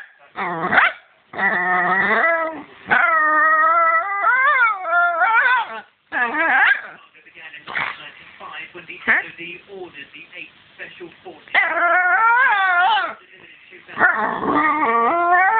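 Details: Millie, a dog at play who apparently wants the toy, gives drawn-out, whiny, yowling barks that rise and fall in pitch. They come in loud bursts separated by brief pauses across about fifteen seconds.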